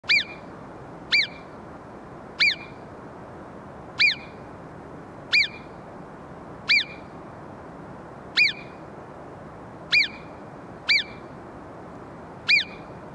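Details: Alpine marmot giving sharp, piercing whistles, each very short and falling slightly, repeated irregularly about every one to one and a half seconds, eleven in all, over a soft background hiss.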